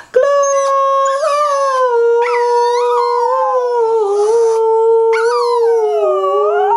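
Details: Badger, a Border Terrier, howls along as a woman sings the carol Angels We Have Heard on High: long, steady, tonal notes held for several seconds, sliding gently between pitches, with a few brief breaks.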